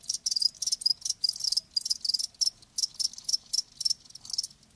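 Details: Live crickets chirping: a dense stream of short, high, bright pulses in quick irregular bursts, several chirps each second, with a faint low background hum.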